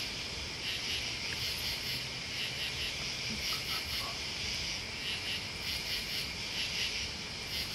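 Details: Crickets and other bugs in a dense, unbroken chorus: a steady high shimmering band with brighter pulsed bursts roughly every second riding on top, over a faint low rumble.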